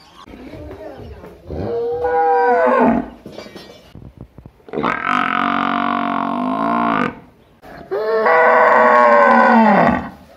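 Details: Buffalo in a village, giving three long loud moaning calls, each a few seconds, the first rising then falling, with harmonic bellowing tone and brief pauses between.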